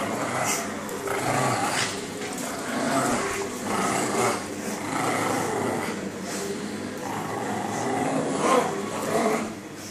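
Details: Two pugs growl and snarl in rough, throaty bursts with small yaps mixed in while playfully attacking their owner.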